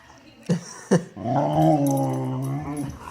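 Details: A Boxer playing with an Akita puppy gives two short sharp yips, then a drawn-out, low, voiced growling moan lasting almost two seconds. A person speaks nearby.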